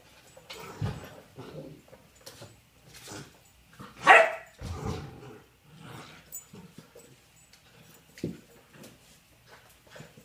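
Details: Cindy, a puppy, sparring with her old nemesis, a basketball, indoors: one loud sharp bark near the middle stands out among softer huffs, scuffles and thumps of play.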